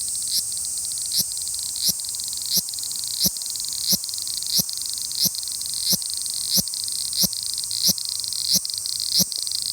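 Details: A cicada gives a strange, radio-frequency-like shrill, steady buzz, pulsing with a sharp tick a little more than once a second; cicada.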